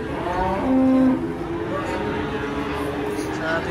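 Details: Giant Ongole-type cattle at a busy Indonesian market drawing a crowd; a short, steady, flat-pitched moo stands out briefly above constant crowd chatter and background noise.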